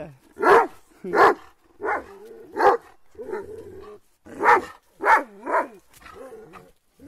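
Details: Several Kangal dogs attacking something, barking in harsh, deep bursts, about eight barks over seven seconds with uneven spacing, some louder and doubled, with a man calling nearby.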